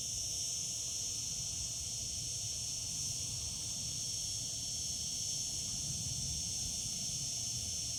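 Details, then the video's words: Singing cicadas in summer give a constant piercing buzz-hiss, even in pitch and loudness from start to end, with a quiet low hum underneath. "Cicada sounds, cicadas singing in summer."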